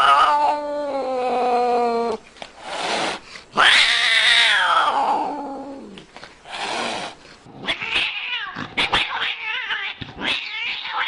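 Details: Cat's drawn-out yowl giving way to harsh, noisy cries and a rising then falling wail, followed by rough, broken bursts of sound mixed with clattering noise.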